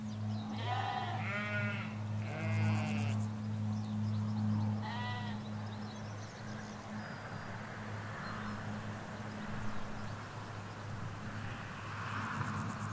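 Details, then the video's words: Sheep, ewes with lambs, grazing a field in the Hampshire countryside: a quick cluster of four quavering bleats in the first five seconds, then only a continuous low hum of distant road traffic with faint bird chirps. "4K Sheep Field - One Hour Sound and Video"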